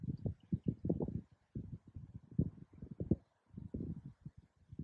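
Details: Male and female koala fighting during mating season: deep, rough, rapidly pulsed grunts and snorts in tight bursts, with short breaks near one and a half and three and a half seconds; no other clear sounds.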